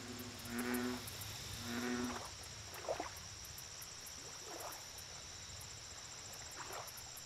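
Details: Bullfrog at a lake, giving two deep, resonant, droning croaks about a second apart. Faint rising squeaky notes follow, with a steady high insect trill and rapid ticking pulses above.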